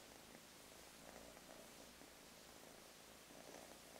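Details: Purring from a lighter gray solid male Russian Blue mix kitten, one of three cuddly littermates: a continuous low rumble swelling and easing with each breath, over quiet indoor background noise.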